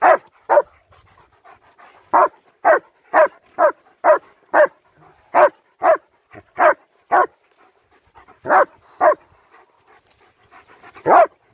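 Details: German Shepherds Nico and Zeeva out on a winter wander; a steady run of sharp, clipped barks, roughly two per second in bursts, pausing briefly then resuming, ending with a deeper, longer bark.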